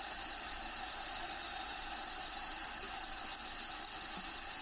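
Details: Crickets in a bearded dragon enclosure, habitat sounds playing behind: a fast, evenly pulsing high trill throbs without pause through the whole clip, with low background hiss.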